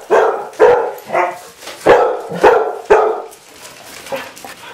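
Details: Pet Basset Hounds facing off against robot dogs bark in a run of about six sharp, resonant barks, roughly half a second apart, each tailing off, before the noise fades to quiet rustling.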